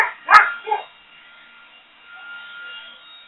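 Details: Boxer Rex, a pet Boxer dog, barking at a leaf blower: two short, sharp barks half a second apart, the first louder, followed by near silence with a faint steady high tone in the background.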